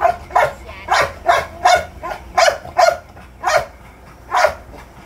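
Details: American Bully puppy letting out rough, breathy barks roughly twice a second, slowing toward the end, over a soft low background.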